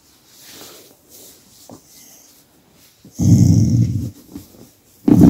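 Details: Pet dog growling in displeasure each time its owner stops massaging it, a camera held close by; mostly quiet handling noise, then a low rumbling growl of about one second and another starting at the end.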